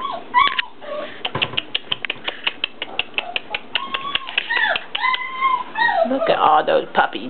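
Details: English Mastiff puppies at four weeks old give arched, rising-then-falling whines scattered among soft tapping and scuffling, with a woman's baby-talk voice running over them indoors.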